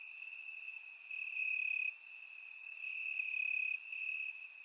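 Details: Night chorus of crickets in Bulgarian grass on a warm summer evening: an unbroken shrill trill holding one pitch, with a couple of louder stretches over a few seconds.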